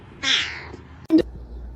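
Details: A cat gives one short, high, falling meow lasting about half a second, followed by a sharp click, over a quiet background.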